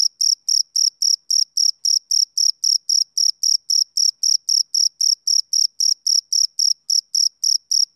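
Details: Rhythmic chirps from a male cricket on a summer evening, sharp shrill pulses repeating nearly four times per second in an even, unbroken train against total quiet.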